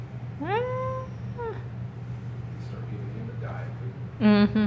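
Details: Kittens filmed close-up indoors on 1 December 2017: a short rising meow, a fainter second meow, then a loud quavering mew near the end, over a steady low hum, with a person speaking nearby.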